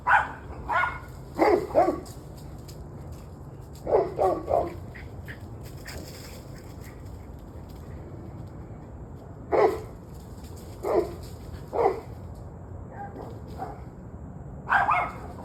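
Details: Barking dogs in an evening recording from 21 November 2023, 7:06 pm: clusters of barks at the start, mid-section and end, with a quiet stretch between, over low background rumble.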